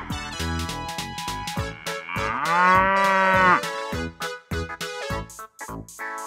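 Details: Water buffalo lowing for a children's animal lesson, one long, steady, nasal moo lasting about a second and a half, set over cheerful keyboard music.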